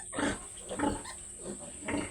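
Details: Pig grunts on a farm keeping two sows that have given birth again; short, low grunting bursts come about three times in two seconds, with faint speech in the background.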